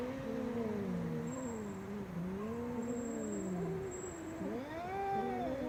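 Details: Loud cat meowing as a continuous low, warbling moan that undulates up and down for several seconds, ending in a higher arched wail near the close.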